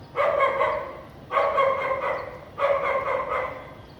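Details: House dog barking on a sunny afternoon with little clouds in Vientiane, Laos, 15 April 2021: three strong, drawn-out barking bursts roughly every 1.2 seconds over low background hiss.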